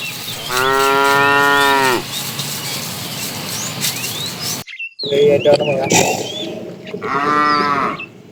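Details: Tame cattle being herded in the afternoon, a fat cow calling a female: a long loud harmonic moo of about a second and a half, then a shorter moo later, with chirping birds and rustling throughout.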